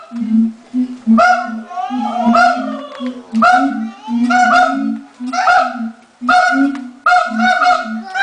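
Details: Siamangs at the LA Zoo call loudly just before lunchtime, the male taking centre stage: harsh honking barks over a low, droning hum.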